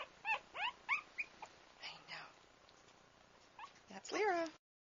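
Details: Pug mix puppy, a female offered for sale, giving short high whimpers and yips in quick bursts, some rising and falling, with a longer whining cry near the end; a person speaks softly between them.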